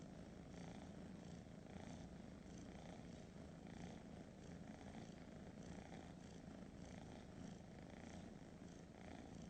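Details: Domestic cat purring: a steady, continuous low rumbling vibration with no clear pauses, holding an even level throughout.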